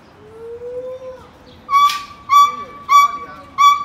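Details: A monkey in Macau gives four loud, nasal, steady-pitched calls in quick succession after a faint rising tone.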